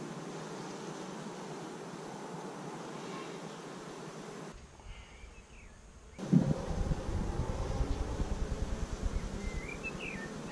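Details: Low, even hum of a honey bee colony in its first year, five weeks after 15,000 bees were installed in May 2017, recorded by GoPro; a brief muffled break, then a sudden louder buzzing burst that carries on.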